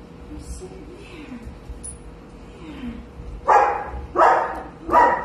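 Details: In a basement, Walter the golden retriever, found after nearly a year lost in the woods, lets out three loud barks about 0.7 seconds apart. Soft human speech comes before the barks.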